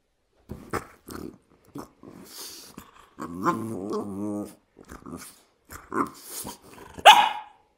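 A French Bulldog 'talks' in grumbly, wavering moans and snorts, with a sharp squeal near the end.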